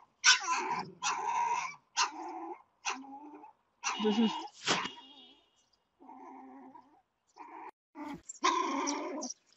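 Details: Frightened stray puppy crouching at an auto repair shop entrance barks louder and louder as a man's dog approaches; a run of about ten sharp, high yapping barks in short bursts with brief pauses, some rougher and growl-tinged.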